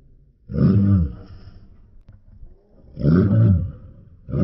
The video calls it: Rottweiler Barking Sound I [REAL]